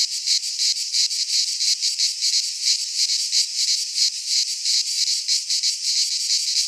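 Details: Cicadas singing in midsummer in a Greek pine forest: a dense, harsh buzzing chorus, high-pitched and unbroken, pulsing roughly three times a second with a steady throbbing rhythm and no other sounds.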